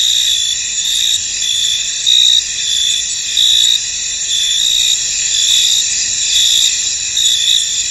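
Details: Foggy field full of crickets: a constant shrill insect drone with rhythmic pulsed chirps rising and falling in brief bursts, and a few louder swells every second or so.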